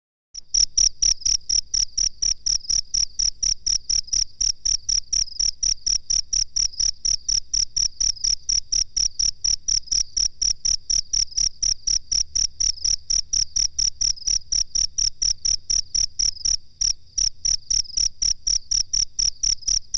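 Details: Cricket chirping from a master recording used for training birds. Steady, shrill, high chirps repeat very regularly, about two per second, throughout, with one brief dip in loudness near the seventeenth second.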